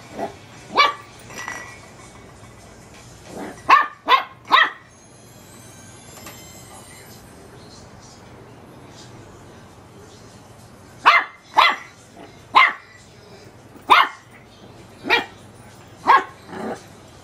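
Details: Teacup Chihuahua pup barks at a light bulb in bursts: a cluster of shrill yaps, a quiet stretch of several seconds with faint hiss, then a steady series of single high barks roughly every second.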